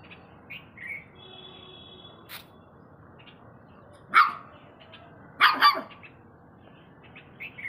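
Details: Saint Bernard. A Saint Bernard puppy lets out one bark, then a quick double bark, each short, hoarse and higher-pitched than an adult dog's. Small birds chirp and twitter faintly in the background.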